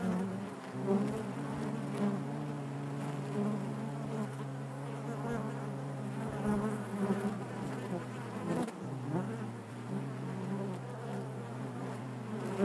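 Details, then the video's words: Hive interior full of honey bees, giving a thick, low continuous drone with a deeper steady undertone, faint wavering overtones and a soft, even loudness throughout. "bees therapy hive natural buzzing sound"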